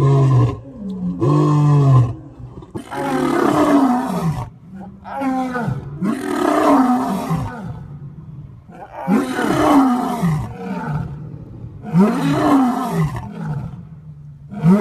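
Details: Lions roaring, with zoo lions mentioned: a run of deep, rumbling roars rising and falling in repeated arcs, almost continuous, with short breaks between bouts.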